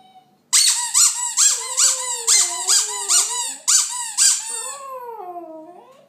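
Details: A singing West Highland White Terrier gives quick, squeaky pulsed yelps about twice a second, then slides into a longer wavering howl that rises and falls, all in a small room.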